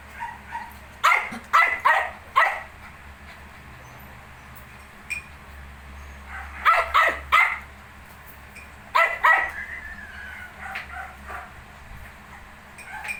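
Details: Young Shih Tzu puppies, 19 days old, give clustered bursts of shrill yips separated by quiet pauses, with a soft whine near the end and a low steady hum throughout.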